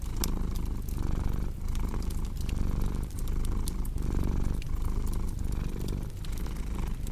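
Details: Rhythmic low purring from a cat, each inhale and exhale marked by a gentle swell about every second and a half, beneath lively crackling fireplace sounds.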